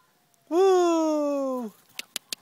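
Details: Afghan Hound puppies, 11 weeks old, at Kennel Awbari in Sweden, playing with a ball indoors; one drawn-out whine lasting about a second, briefly rising then sliding gently downward, followed by three sharp taps.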